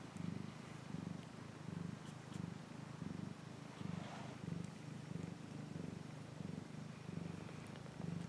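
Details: Close, low purring from a cat, a continuous vibrating hum rising and easing with each breath about every two-thirds of a second, over faint background hiss.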